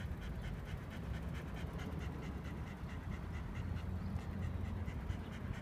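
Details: Shiba Inu named Speck on a Saturday walk around 6:50 in the morning at Kaimei Bridge in Amagasaki, panting in quick, breathy, even pulses over a steady low rumble of outdoor background noise.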